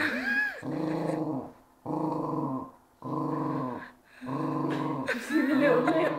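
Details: Pet dog, four years old and of unknown breed, growling indoors because she disliked having her leg touched; drawn-out rumbling growls repeat about once a second with brief gaps, ending in a higher, whiny grumble.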